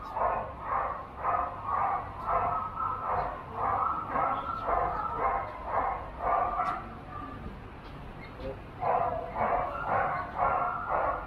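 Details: Steady run of sharp barks, nearly two each second, from a Border Collie competing in a junior agility event at Doggiedoo Rangsit on 21 November 2021, with people talking and a short pause before barking resumes.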